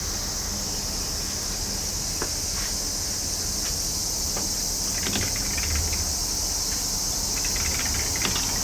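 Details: Summer cicadas singing: a dense, unbroken high buzzing hiss that holds steady throughout, with a few scattered short clicks and taps in the second half and a faint low rumble beneath.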